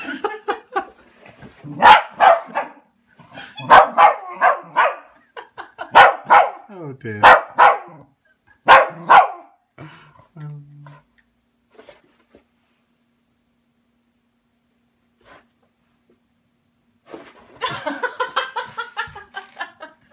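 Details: Welsh Terrier in a brutal takedown of a felted robin Christmas ornament: a run of sharp, harsh barks and growls, roughly one every second, then a quiet stretch and a final burst of rapid yapping.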